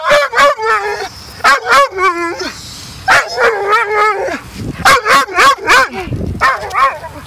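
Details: Dog throwing a tantrum on a beach when told to leave after over 40 minutes of fetch, giving bursts of yodelling, wavering whine-barks in quick groups of two or three, with a person urging it to go.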